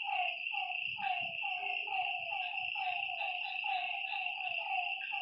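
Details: Frogs at a lakeside by night, calling in overlapping runs of brief downward croaks at a brisk, fairly regular pace, with an unbroken high insect drone and faint low thuds.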